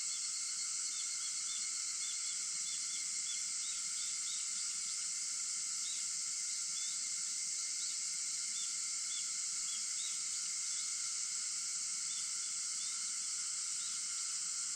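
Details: August 4 at dawn, 4:50 am: a constant layered cicada buzz fills the air without pause, while faint bird chirps come in short clusters throughout.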